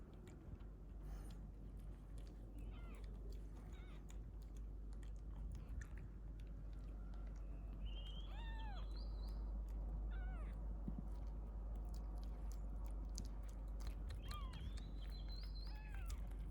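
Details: Domestic mother cat carrying a newborn kitten, encountered while out: rising, drawn-out meows in pairs around 8 to 10 seconds and again near 14 to 15 seconds, with tapping and rustling noises and steady low rumble.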